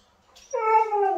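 A Siberian Husky gives a short, drawn-out, slightly falling howl-like yowl, answering its owner.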